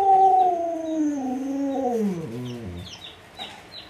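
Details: Luoluo, a household Alaskan Malamute, whining for watermelon while hugging a leg: a single drawn-out descending howl that wavers and trails off, followed by faint high chirps in the background.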